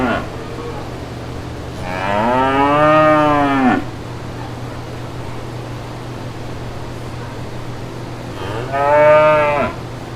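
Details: Brown cows with calves in green countryside pastures: two long, deep moos, the first about two seconds with a slight rising then falling tone, the second shorter, separated by a steady low hum of background noise.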